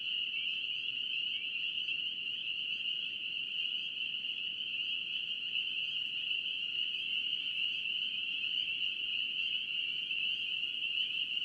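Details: Spring peepers from North Carolina calling together as a massed chorus, a continuous piercing high-pitched trill of overlapping peeps holding steady throughout, over soft low background hiss.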